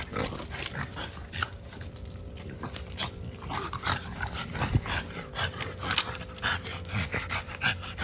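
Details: French Bulldog puppies together with their parents, Rope A Dope and Moët; snuffling grunts and short snorting noises come in quick, irregular bursts over a steady low hum and handling noise.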